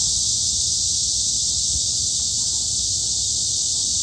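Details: At Hanbat Arboretum in Daejeon, Korea, summer forest cicadas keep up an unbroken, sizzling high drone, even and unchanging for the whole stretch.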